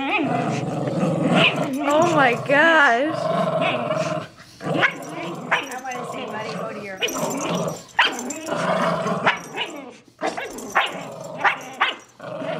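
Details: Miniature schnauzer Riley and lhasa apso Buddy in a long rope tug-of-war, Riley unwilling to share her toy; continuous gremlin-like growling with wavering, warbling pitch, interspersed with snorts and sharp bursts, alongside excited human chatter.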